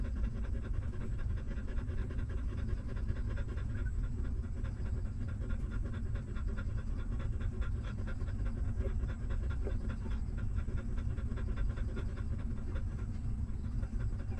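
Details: Hungry newborn puppies of a stray mother dog sucking milk while she nurses them; rapid rhythmic wet suckling pulses, several per second, run steadily throughout over a heavy low rumbling background.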